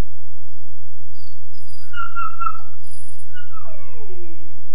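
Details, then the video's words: A 13.5-week-old Weimaraner puppy in his kennel whimpers softly: a thin level whine near the middle, then a falling, sliding cry, over a persistent low hum. "The Wailing Weimaraner"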